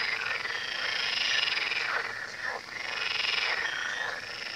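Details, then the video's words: Chorus of frogs by the Tywa river: overlapping harsh, rapidly pulsed croaks forming a constant buzzing wall of sound, dipping briefly mid-way. "Odgłosy żab nad Tywą"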